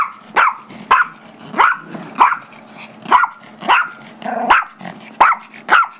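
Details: Wanting the squeaky toy, a 5-year-old Chihuahua/Yorkie mix called Gizmo barks during play with Tigger, a 2-year-old Yorkie; nine high, sharp barks roughly every 0.6 seconds over a faint rumbling growl.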